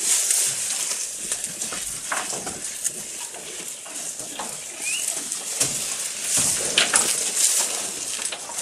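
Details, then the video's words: Goat eating, recorded close up: irregular crunchy, crackling bites and chewing bursts come several times a second over a steady background hiss, with one brief faint chirp midway. "Goat Eating Sound"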